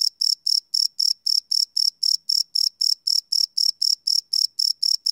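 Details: Night crickets recorded live with a Sony PCM D100 recorder, giving a bright, piercing chirp that repeats rapidly and evenly, roughly four pulses per second, with nothing else audible in the background.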